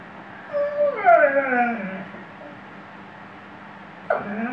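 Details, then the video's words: Weimaraner dog singing: a drawn-out, wavering howl that rises, then slides downward over about two seconds, with a rich harmonic, whiny tone, followed after a pause by the start of a second howl climbing in pitch. "Weimaraner singing"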